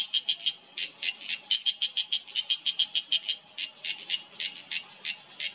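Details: Loud cicada from an Uttarakhand oak forest in the Himalaya, September 2023: crisp, buzzy rasping pulses repeated quickly, about five per second, in short runs separated by tiny pauses.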